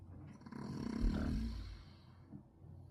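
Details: A single deep, throaty snore from a sleeping pet dog, rising to a rough, buzzing peak and tailing off into soft low breathing.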